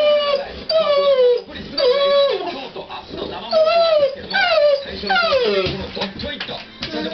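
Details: Domestic dog sounding dissatisfied while walking to and fro because the Japanet company president never shows up on TV; repeated drawn-out, falling, howl-like whines, roughly six, over soft background talk from the television.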